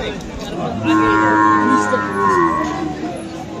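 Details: At the Aftabganj market in Dinajpur on 21 February, with Friesian and crossbred bull calves on sale, a single cow moo lasts about a second and a half. It is fairly steady, with a slight waver at the end, over background human chatter.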